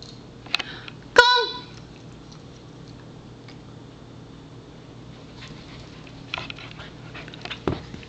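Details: Pembroke Welsh Corgi named Palette, indoors while being offered beef pizzle stick treats: one short, sharp bark near the start, followed by quiet with faint sniffing and small rustles.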